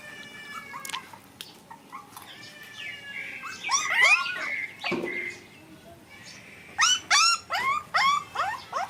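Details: Playing puppies give high, thin whimpers and sharp yelps with bent, sliding pitch, scattered at first, then a quick burst of five or six rising-falling yelps near the end, over a low background hiss.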